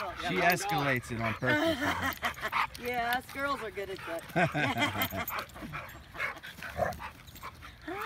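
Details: Scuffle at a dog park, where a female Husky bites at the heel of Winston, a large male, beside a young American Bulldog mix. Rapid overlapping yelps and snarling barks, several dogs together, people talking.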